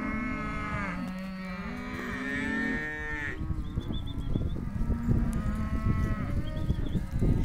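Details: Hereford calves, male and female, in auction lot 4: several drawn-out, harmonic moos overlap during the first three seconds. A mix of broadband scuffling and rustling noise follows.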